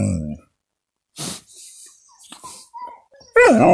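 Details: Siberian Husky, described as very threatening, vocalizing indoors: a low harmonic groan opens, then near-silence with small noises, then a loud wavering whine that rises and falls at the end.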